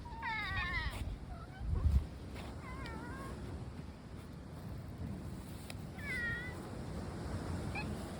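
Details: A group of cats that includes three black cats, giving wavering meows, a loud one at the start and another near six seconds, with a low thump, over constant low-pitched outdoor noise.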